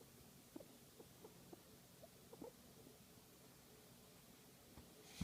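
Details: A guinea pig enjoying a massage gives soft, low, short chirring pulses, repeated about every half second.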